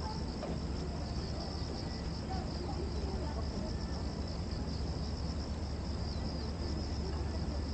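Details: Late-summer cicada chorus in Korea's Gwanggyo Lake Park, 8 September 2021, from a 360-degree VR recording. A continuous high whine throbs gently in waves above a constant deep hum of wind and distant vehicles.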